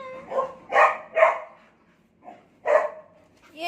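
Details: Pet dog named Cherry, looking after kittens, 'talking' in short tonal whine-yelps: three close together, a soft one, then a strong yelp and a rising final note, with quiet pauses between.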